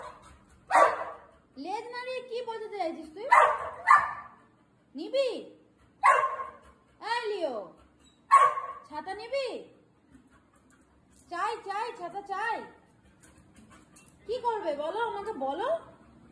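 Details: Pet Labrador Retriever giving a run of short, arched, yowling barks, roughly eight separate bursts over sixteen seconds with brief pauses between them, in a quiet indoor setting with human voices mixed in.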